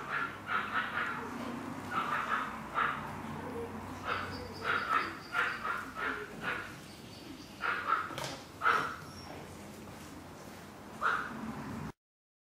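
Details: Chihuahua puppies yapping in short, high-pitched barks that come in quick clusters of two to four, separated by brief pauses, over a low background hum before the sound cuts to silence.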